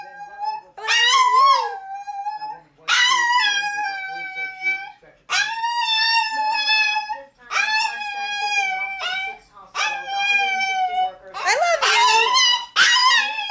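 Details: Pet dog indoors 'saying' I love you: a series of long, drawn-out, howl-like yowls with rich harmonics, each lasting about one to two seconds with short pauses between, rising and falling in pitch, the last phrase wavering and broken.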